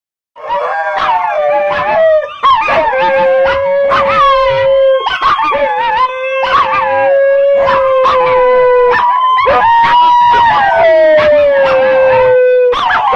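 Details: {'caption': 'Several dogs howling together in long, overlapping wails. Some voices hold level, others slide slowly downward, with rising and falling voices crossing throughout and short sharp yips breaking in between.'}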